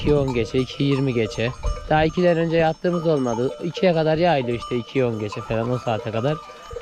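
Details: A flock of Akkaraman lambs, just taken from their mothers, bleats insistently for them: rapid, overlapping, quavering baas, one after another almost without pause, some rising and falling in pitch.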